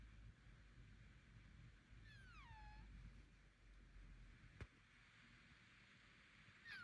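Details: A house Bengal cat's unusual vocal noise, which its owner thinks may mean sickness or nasal congestion. One long, descending, nasal-sounding call is heard, then a sharp click and the start of another call at the end.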